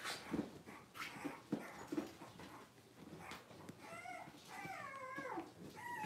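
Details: Cavalier King Charles Spaniel puppies, six weeks old, handled for deworming and toenail trimming; after some knocks and handling noise, a run of wavering, high, harmonic whines rises and falls in the last two seconds.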